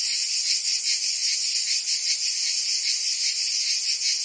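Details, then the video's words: Short stretch of summer cicada song in Provence, France, a continuous high-pitched rasping buzz from many insects, gently swelling and fading about once a second. "Cicadas singing in France (Provence)"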